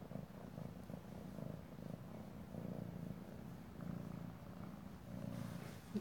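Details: A kitten playing with shoelaces on 26 November 2017 purrs loudly enough to be heard across the room, a steady low rumble pulsing in rhythmic waves.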